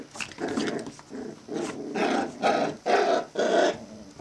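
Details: Australian terrier puppies, five weeks old, growling in rough bursts of about half a second, seven or eight in a row with short gaps, in a small indoor space.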